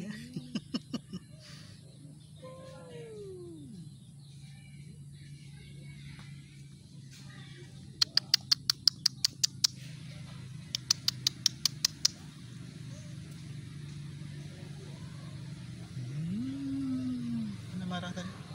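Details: Cats in a fight: a low moaning yowl sliding downward early on, then a later rising-and-falling wail, separated by quiet stretches with bursts of sharp rapid clicking and a constant low hum underneath.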